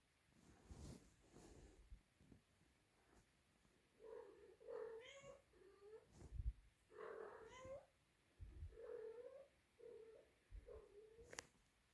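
A Siamese kitten gives loud, repeated meows, calling out for its mother.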